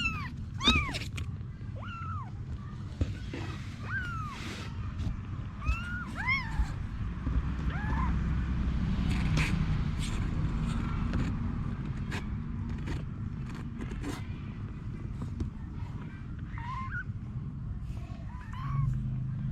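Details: Cat Anna with her babies: a long run of short, high, arched mews repeats every second or two, some overlapping, against a low background rumble and occasional clicks.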